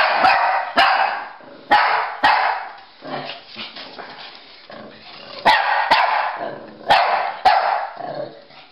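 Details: Pekingese and Bulldog playing chase indoors: sharp, broadband barks come in pairs about half a second apart, with a longer pause mid-way, and faint rustling between bursts.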